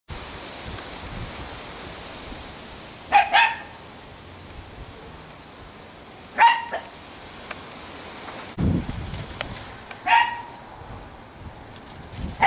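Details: Italian Greyhound among three fast little females, Shimmer, Sparkle and Speckle, in fall: three short, sharp barks spaced several seconds apart over steady hissing background noise, with a low thump between the last two.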